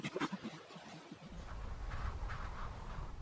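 A chimpanzee laughs in quick, breathy, panting pulses, a sound linked with pleasure.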